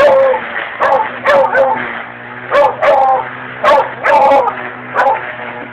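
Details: A dog named Nikki barking at a weed wacker: sharp, harsh barks in irregular bursts roughly every second, some with yelping edges, over a steady low engine drone from the trimmer.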